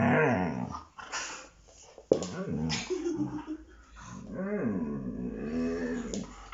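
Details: A Siberian Husky play-fighting with the owner's son grumbles and growls, its voice bending up and down in throaty, bear-like moans; it makes these noises only during such play.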